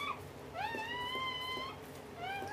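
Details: Indoors during a Dobermann giving birth after a long day of labor; a brief high squeak, then a sustained rising whine of over a second, then another short rising cry, with a low background hum.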